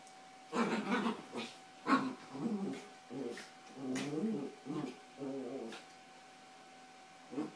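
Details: Yorkshire Terriers Carla and Paco wrestle over toys on a bed; a dense run of rough, wavering growls and snarls follows one after another for several seconds, with one sharp louder yelp-like burst early on.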